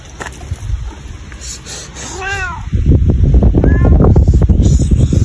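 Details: Domestic cat meowing: two short arched, harmonic meows about a second and a half apart, over loud low rumbling noise that swells midway.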